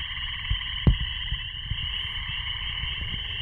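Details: A frog chorus sings in a frenzy just before sunset in late May 2015 on Bald Eagle Lake, Boundary Waters, Minnesota: a continuous high trilling hum layered in several bands, with soft low thumps of wind underneath; mosquitoes beginning to swarm.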